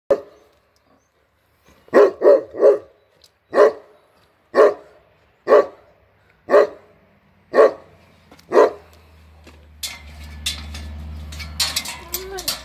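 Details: Newfoundland dog, shown alongside a Landseer, gives about nine deep, loud barks spaced roughly a second apart, some in quick doubles, then rustling noise and a brief spoken Korean reply.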